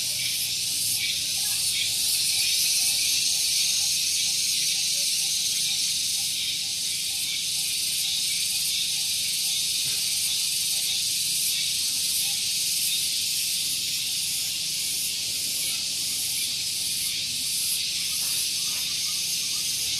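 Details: Morning cicada song at Gunung Geulis, Bogor, West Java, recorded near a vehicle parking area: an intense, piercing continuous hiss pulsing several times a second, loudest early on, with a faint low background hum.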